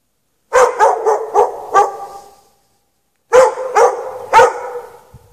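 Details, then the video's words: A dog chained outside in the snow at night with no shelter, on 3/3/14 between 8 PM and past 11:30 PM, barks in a quick run of five sharp barks, pauses about a second, then gives three more. "Dog barking chained out in the snow"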